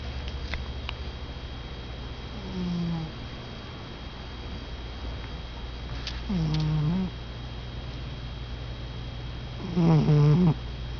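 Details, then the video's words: Domestic cat snoring while asleep: three low, buzzy, harmonic snores roughly every three and a half to four seconds, each lasting under a second, over a steady low hum, with a quiet voice just afterward. "Bears(my Cat) snoring!"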